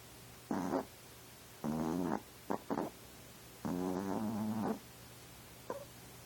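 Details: Chihuahua snoring at night at home, with rhythmic nasal, buzzing snores, a short one, a longer one, two quick snorts, then another drawn-out snore in a quiet room.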